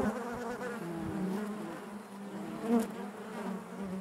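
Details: Honey bees buzzing inside their hive: a dense, steady drone centred low with wavering harmonic bands above, swelling briefly near the three-second mark, no other sounds present.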